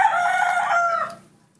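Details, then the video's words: Young monkey being offered milk by its carer, crying for it: a loud, steady tonal wail already underway, holding for about a second before fading into quiet, with a faint tap at the end. "Not wanting bananas, the baby monkey Nomi makes a sweet call asking for milk"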